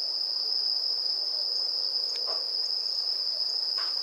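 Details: Bell crickets ringing on an autumn festival night in Kamakura, Japan, a constant high metallic trill without breaks, with a couple of faint brief clicks in the background.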